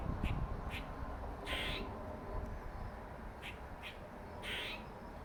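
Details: Dark-faced male squirrel called Dirty Face utters six sharp rasping calls, two of them longer and fuller, spaced unevenly across five seconds, with low background rumble throughout.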